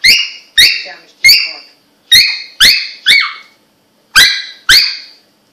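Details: Russian Toy Terrier pet dog squeaking indoors, a series of eight sharp, high, toy-like squeaks in short clusters, each falling away quickly, with brief pauses between bursts and no other clear sounds.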